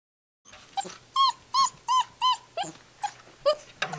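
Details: Six-week-old Gordon Setter puppies indoors in a living room. Clear high whining yelps, each a short tonal cry, come about every third of a second after a silent start. Later cries grow shorter and shift in pitch.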